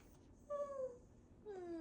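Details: Shih Tzu puppy indoors, being talked to, gives two short tonal whines, each sliding downward, the second lower and longer than the first, in a quiet room.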